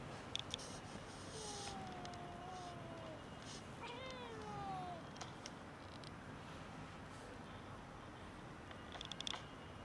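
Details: Hungry cats near a building waiting for food and petting make long, sliding meows, one wavering call then a rising-and-falling pair, amid steady outdoor hiss and a few sharp clicks.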